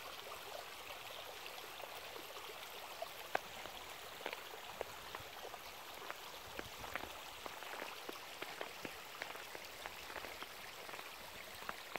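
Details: Quiet, steady patter of dripping water and rain-like hiss, with no animal voices.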